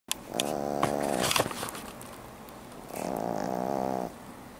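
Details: Sleeping 11-week-old French Bulldog puppy snoring: two drawn-out, buzzy, nasal snores about a second long each, separated by a quiet pause, with a few brief rustling clicks.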